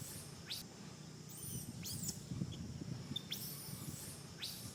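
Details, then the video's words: Baby monkey Sariki crying while its mother Sarika teaches it back style: four sharp, high squeals sweeping steeply downward, roughly one per second, over a steady low rumbling background. "Po-or baby monkey SARIKI always cr-ying when mom SARIKA teach back style."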